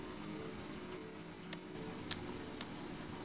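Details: A quiet indoor room with steady low hum and three sharp, brief clicks near the end, no animal voice audible.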